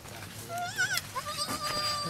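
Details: Goat giving birth at a cow farm, a newborn kid just born; a wavering bleat rises and falls near one second, then a longer steady bleat follows, with faint human voices behind.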